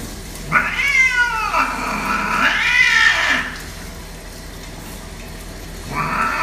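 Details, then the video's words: Domestic cat reacting to being bathed, giving long, drawn-out wailing meows that rise and then sag, two back to back, then a third starting after a pause, over a steady background hiss. "Cat's Reaction To Bathing-Why Cats Hate To Bathe?"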